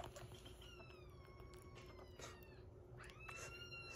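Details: Rescued kitten at 47 days, indoors, giving two long tonal meows, the first slowly falling and drawn out, the second rising sharply then held steady, with faint clicks and room hum behind.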